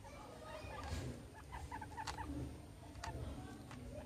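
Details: Two pet guinea pigs at playtime, nosing around a soccer ball and an American football; short, soft squeaky chirps come in a quick cluster near the middle, with rustling and light bumps around them.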